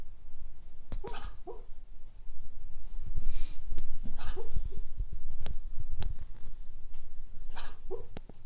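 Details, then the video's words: Dreaming cocker spaniel dog making choppy muffled barks and breathy puffs in irregular bursts, some doubled, among clicks and soft rustling. "Cocker spaniel dreaming"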